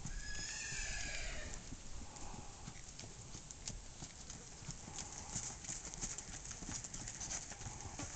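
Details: Tennessee Walking Horse stallion moving with a fast, uneven clatter of hoofbeats, about three per second, over steady background noise; a faint high whinny-like sound near the start.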